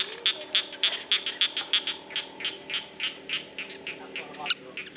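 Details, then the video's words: Frogs in a rice field give short, high, clicking pulses about four per second, a steady run that loosens toward the end, over a faint background hum. "SUARA KATAK DI SAWAH"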